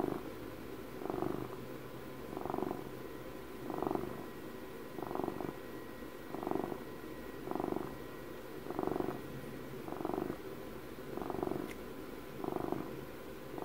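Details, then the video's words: Close ASMR recording of a twelve-year-old pet cat purring, deep buzzing rumble that swells about every 1.3 seconds, around ten steady breath cycles, quiet room, faint click near the end. "ASMR CAT PURRS"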